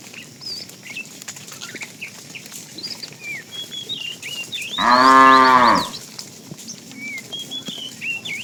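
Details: Tame fat cow, part of a herd herded in the afternoon, calling to a female: a single short, rich, harmonic moo of about a second, rising then falling, amid steady chirping of many small birds.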